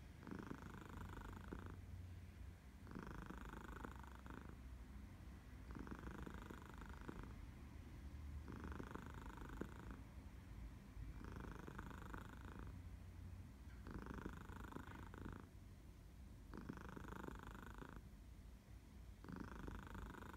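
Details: Minnie the cat purring contentedly on an August morning in Barcelona, Elsa in the background; an unbroken low rumble with eight rhythmic louder buzzing phases, one about every two and a half seconds.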